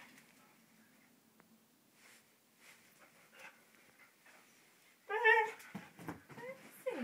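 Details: Excited 15-month-old Siberian Husky, wanting to go out on a walk, "talking". Quiet faint murmurs open the clip, then a loud wavering howl-like yowl bursts out near the end, followed by shorter whiny vocal bits.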